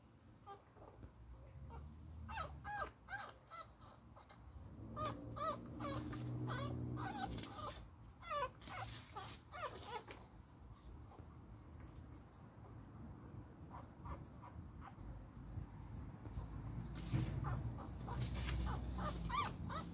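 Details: Beagle puppy fighting, giving bursts of short whimpering yips and grunts in clusters, with quieter stretches between and low rumbling background noise.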